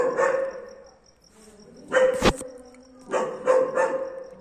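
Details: German Shepherd barking for the first time: a few scattered sharp barks, a short pair near the middle and a triple burst at the end, separated by quiet gaps with a faint constant high tone.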